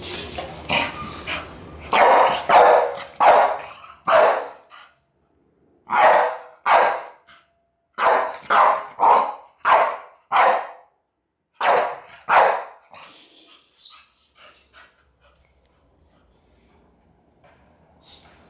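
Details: A young male Staffie, 11 months old and about 28 kilos, goes wild at the smell of cinnamon, letting out rapid bursts of sharp, rough barks in clusters that fade to quiet toward the end.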